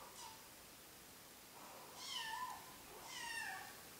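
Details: Kitten confused by a fly, giving two soft, short meows around two and three seconds in, the second rising then falling, with a fainter chirp at the start; quiet indoor background.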